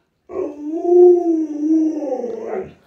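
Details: Luoluo, a pet Alaskan Malamute, calls out while playing hide and seek with its owner: a single drawn-out howl of about two and a half seconds, mid-pitched and steady, lifting briefly at the end before cutting off.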